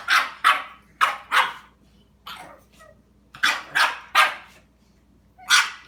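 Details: Dog barking in a confrontation with a cat: sharp, loud barks, often in quick pairs, about nine over six seconds, with a couple of softer, shorter yaps between the louder bursts.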